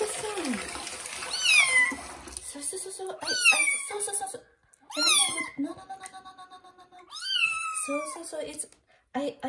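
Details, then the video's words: Kitten taking its first bath in a bathroom, loud meowing: four long, high, harmonic-rich meows, each rising then falling, roughly every two seconds, with a woman speaking softly and splashing water between them. "First bath for kitten Johnny and its loud meow"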